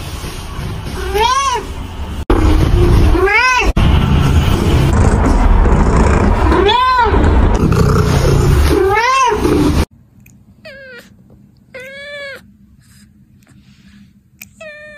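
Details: A cat calls out in a series of loud, arched, wailing meows about every two seconds. After an abrupt cut, the meows come quieter against a hushed, humming background.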